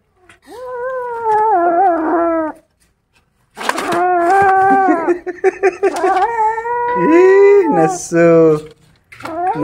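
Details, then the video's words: Kittens disturbed while feeding on a rat growl fiercely: sustained droning moans of two seconds or more, broken by short sharp bursts and a steeper rising-and-falling wail near the end. "Adorable Kittens Get Angry When They Disturb Their Eating"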